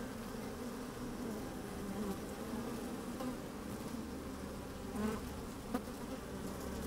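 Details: Honey bees going about their work in an open hive on a sunny day, microphone slid down inside: steady humming drone, a few brief buzzing bursts around five seconds and a sharp tap near six seconds.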